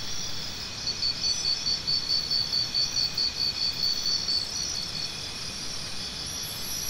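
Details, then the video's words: Cricket chirping in a high, shrill series of quick evenly spaced pulses lasting about three and a half seconds, then fading into a steady, sizzling insect drone that continues underneath throughout. "Try Listening to Cricket Sounds"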